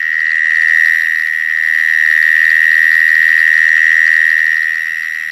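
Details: Several mole crickets sing in a back garden in Canberra, Australia, March 2011. A continuous shrill trill holds one pitch throughout, its loudness gently swelling and fading.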